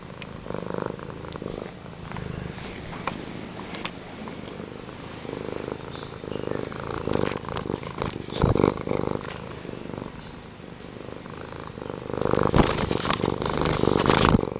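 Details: Close-range purring from Pumpkin, a male domestic cat, heard as a continuous throbbing rumble that swells toward the end, broken by scattered clicks and rustles.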